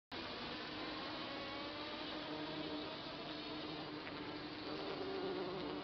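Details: Bee colony that has lived for a few months in a garden compost bin, recorded close by: a dense, steady, loud buzzing hum of many bees, continuous throughout with a faint low drone beneath.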